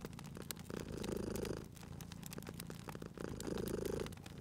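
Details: Short stretch of a cat's rumbling purr by a crackling fireplace, two strong swells of low vibration separated by a quieter breath, with sharp fire crackles sprinkled throughout.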